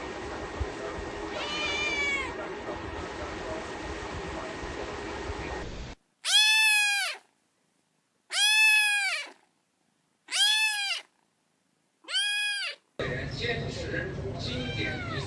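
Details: Domestic cat meowing: after six seconds of muffled background noise, four clear, loud, arching meows come about two seconds apart, each rising then falling in pitch, before the room noise returns.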